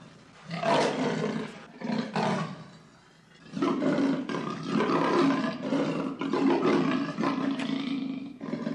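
A leopard gives loud, rough roars in harsh bursts, followed by a longer run of throaty calls.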